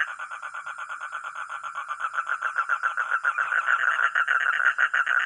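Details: Frog or toad giving rapid rattling croaks, roughly three and a half pulses per second, the pulses growing louder and more separated toward the end.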